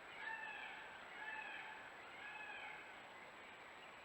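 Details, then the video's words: Stone martens, a wild male and female pair mating in a Belgian wood, the male aggressive; thin wavering cries rising and falling, repeated about once a second, over steady background hiss and a faint constant whine. "Mating Stone Martens, Marten behaviour and noises"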